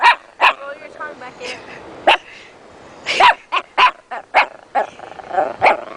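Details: Beckett, a pet dog, gives repeated short barks and yelping sounds at uneven intervals, some in quick pairs, with a human voice mixed in at times.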